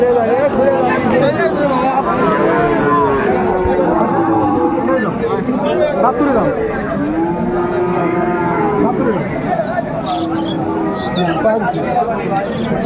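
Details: Young Sahiwal bull calves for sale at Raniganj cattle market in Dinajpur, Bangladesh, 20 February 2025, as trading begins; many overlapping drawn-out moos rise and fall continuously beneath loud crowd chatter and bargaining voices.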